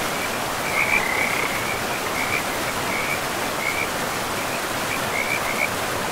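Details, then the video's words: Frogs calling beside a river deep in a pristine forest of trees and moss-covered land: short, high, chirping croaks come in scattered bursts over a steady, loud rushing of river water. "River and Frogs sleep sounds"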